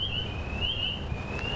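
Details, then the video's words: A spring peeper chorus, with upland chorus frogs alongside, calls from a vernal pool in swamp forest in Fairfax County, Northern Virginia: a steady, shrill high-pitched trill over low background rumble. "you can hear spring peepers behind me"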